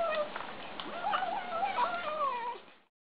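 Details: Young kittens feeding and giving off a continuous quavering, mewling whine that wobbles in pitch for about two and a half seconds before fading out.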